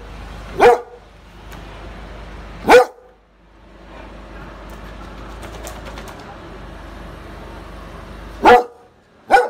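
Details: A neighbour's dog barks in short single sharp barks, two early and two near the end, separated by long gaps with a steady background hum and faint noise.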